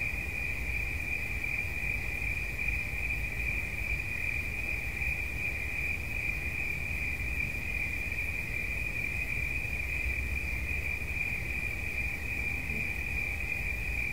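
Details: Cricket giving a continuous piercing trill of rapid pulses at a fixed high pitch, with a faint steady hum and a low rumble behind it.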